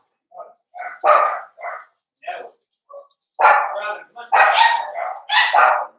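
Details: Young blenheim Cavalier King Charles Spaniel puppies in a home puppy pen give a string of irregular high yips and small barks, building to louder, longer overlapping barks toward the end.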